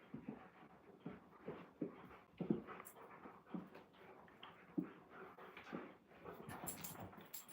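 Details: Alaskan Malamutes wrestling and rolling around together indoors at home, one apparently named Moose; soft huffing grunts, whimpers and pants in irregular bursts, roughly every two seconds, with a person's voice asking about the wrestling.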